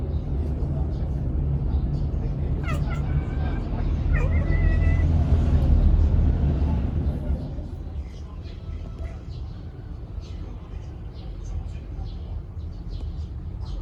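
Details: Haru, a rescued brown-tabby-and-white male cat born October 2019, chatters while watching birds and a cicada: a few short harmonic chirps, then a drawn-out tonal note, over a steady low rumble of traffic.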